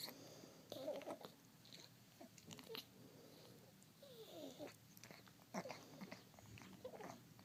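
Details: Indoor cat suffering from a respiratory disease, grooming itself and producing loud odd sounds: short squeaky, nasal wheezes and rasping puffs at irregular intervals amid licking clicks.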